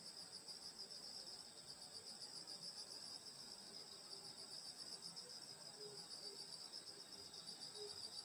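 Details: Countryside insects singing on a summer night at a grandmother's home: continuous shrill, pulsing trills high up, with scattered soft low chirps appearing now and then.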